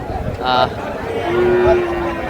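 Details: Friesian and crossbred heifer calves at Raniganj cattle market, Dinajpur, on 9 February 2025; a steady, low, drawn-out moo of about a second follows brief noises, with a man speaking and market bustle around.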